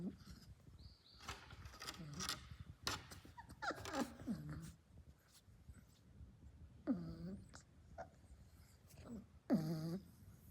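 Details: Labrador Retriever puppy snoring mid-nap indoors: squeaky, downward-sliding nasal snores come irregularly among rustling and soft breathy noises, with two clearer squeaks near the end.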